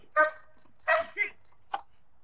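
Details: German Shepherd during protection training giving three sharp barks in quick succession, the last shorter and clipped, against a quiet background.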